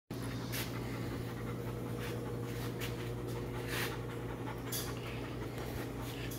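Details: Young male German Shorthaired Pointer, just under a year old, walking in a lodge: soft, breathy panting puffs recur about every second over a steady low electrical hum.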